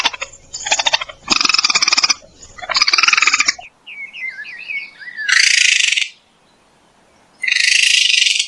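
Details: Raccoon giving buzzy, rapidly pulsed chittering bursts, then a run of short warbling chirps and two harsh, hissing screeches separated by brief silences.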